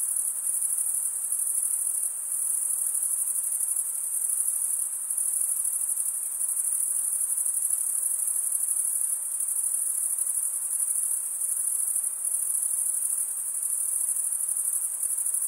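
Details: Crickets chirp by stridulation, males scraping one wing across the comb-like teeth of the other; here a long, even, high-pitched ringing trill with gentle waxing and waning every couple of seconds, no other sounds.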